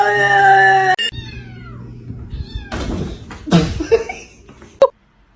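A kitten cries with a plaintive meow that slides downward in pitch after a steady, tonal opening. People laugh and talk over it, and a snatch of music plays in the background.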